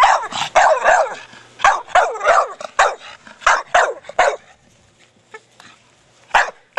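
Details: Four-year-old Staffordshire Bull Terrier playing with his big hard plastic ball, barking in short sharp bursts, several in quick succession, then quieter pauses with a couple of isolated barks near the end.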